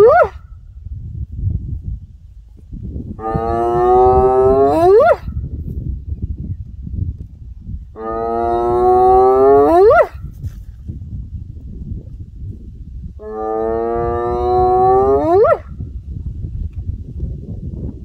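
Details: Three long hyena whoops about five seconds apart, each a rich, hollow note ending in a quick upward swoop, over a steady low rumble of background noise.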